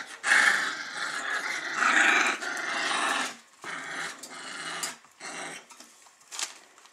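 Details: Weimaraner puppies, 24 days old, playing together and growling: rough, noisy rumbling growls strongest in the first three seconds, then shorter broken bursts with small squeaky sounds indoors.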